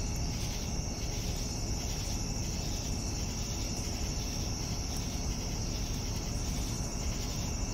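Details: Evening crickets produce a continuous shrill trill and slower pulsing chirps, set against a steady low-pitched background drone.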